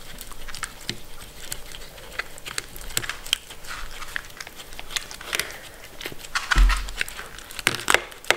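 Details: Shetland Sheepdog Mindy, a pet Sheltie, eating her food: crunchy bites and mouth clicks come in quick irregular runs, with a heavier low thump partway through and a brief pause before more chewing.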